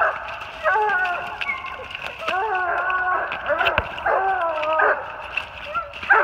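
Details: Treeing Walker Coonhounds, one female and two males, baying treed on a big den 450 yards away in New Jersey, March 28, 2018; drawn-out harmonic bawls mixed with shorter chop barks, several voices overlapping at a distance.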